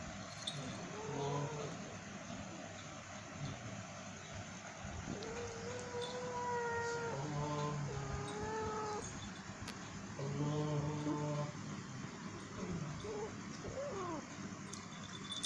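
A female cat in heat gives long, wavering, moaning yowls to attract a mate.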